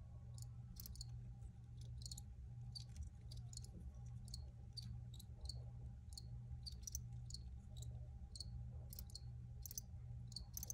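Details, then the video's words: Recorded crickets chirping in brief high pulses, fairly frequent and irregular, with a constant low hum running underneath throughout. "Free Cricket Sounds"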